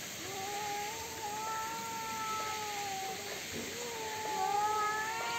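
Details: Cats fighting, yowling without pause: long, wavering, nasal moans slide gently up and down in pitch. They overlap and start afresh several times, and grow louder toward the end.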